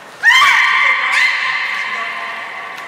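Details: During training at Port of Nagoya Public Aquarium on 7 October 2018, beluga Nana or Niko gives a bright, rich, sustained squealing call that starts abruptly, rises slightly, re-accents near the middle and tapers off in a reverberant hall.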